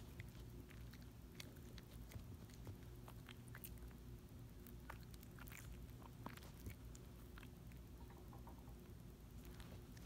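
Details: Small dog quietly chewing and licking a Dentastix dental treat indoors, wearing an orange mesh tank top; soft wet crunches and clicks scattered irregularly over a low steady hum.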